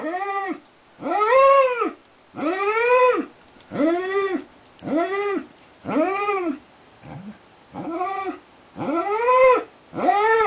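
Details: Darwin, a border collie, keeps howling at length; steady sequence of curved, moaning notes with strong harmonics, each under a second, broken by one short low whine.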